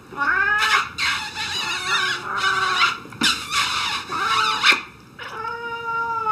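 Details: Pet cat protesting at petting and kisses with a run of loud, whiny meows, each long and wavering, repeated almost without pause, some broken by rough scratchy bursts.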